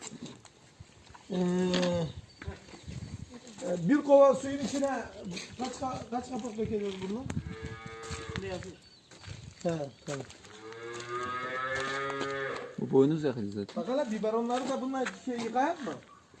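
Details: Simmental cattle, two cows in silent heat on a Turkish farm, prepared with a hormone device and artificially inseminated; repeated loud harmonic moos, the longest a rich bellow of about two seconds, with men talking nearby.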